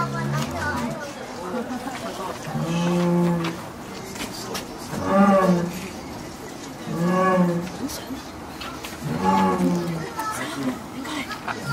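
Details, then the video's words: Captive jaguar at Tennoji Zoo, Japan, calling one October evening toward the adjacent enclosure holding another jaguar; three or four tonal moaning calls about two seconds apart over a steady rumbling background. "ルースさんの鳴き声 ジャガー"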